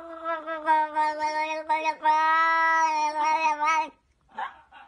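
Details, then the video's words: House cat 'talking' with a long, continuous string of warbling meows lasting about four seconds, steady in pitch with small breaks and pulses, followed by faint rustling and a soft voice. "OMG These Cat can Talk - Talking Cat compilation"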